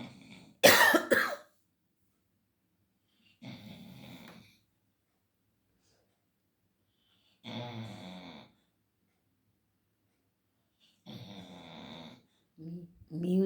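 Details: Labrador Retriever named Leo asleep in the afternoon, around five o'clock. A sharp, loud cough-like burst opens, followed by three softer, throaty snores spaced about four seconds apart with quiet gaps between.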